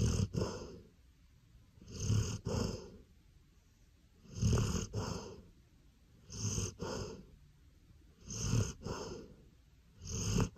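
A Golden Retriever snores deeply, each rumbling breath coming about every two seconds.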